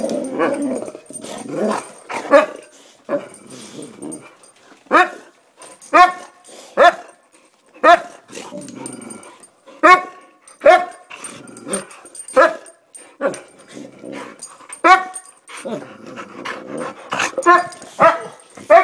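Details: Several excited pet Boxer dogs, described as vocal and all pumped up, bark in rapid bursts of sharp, harmonic barks repeated at short, irregular intervals with brief pauses, with some growly, lower sounds mixed in.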